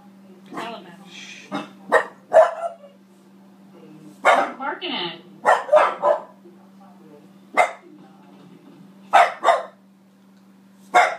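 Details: A female French Bulldog Boston Terrier mix gives sharp, scattered barks at herself on TV, with a steady electrical hum behind.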